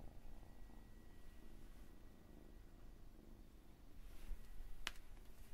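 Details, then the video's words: Cat purring quietly in an ASMR collection of purring and meowing cats: a soft, low, even rumble with a faint steady whine and one sharp click near the end. "Cat and cats purring and meowing"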